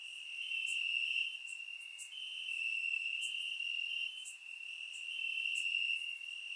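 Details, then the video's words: Night chorus of crickets in Bulgarian grass on a warm summer evening, surround-miked: a sustained piercing trill rising and easing in waves, with crisp ticks scattered over it. "Cricket Sounds - Crickets Chirping at Night"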